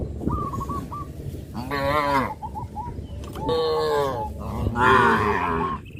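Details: Herd of cows heading to green grass fields, three full, slightly falling moos in quick succession, each under a second, with brief high bird peeps in between and a low rumbling background.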